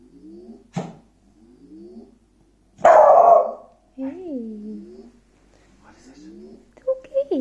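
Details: An Irish beagle gives a loud bark and wavering howls, objecting to the repeated rising electronic chirps of a VanMoof e-bike firmware update.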